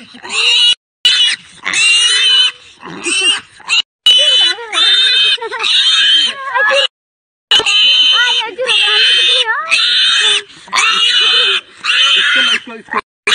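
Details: Captured wild boar in India giving loud, shrill squeals in long harmonic bursts, wavering and repeated with brief pauses between them.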